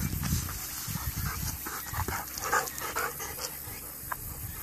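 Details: Golden Retriever cooling off in a small stream after exercise on a hot day, 12 September 2013; quick breathy panting puffs repeat in an uneven run, several per second, with low rumbling handling noise underneath.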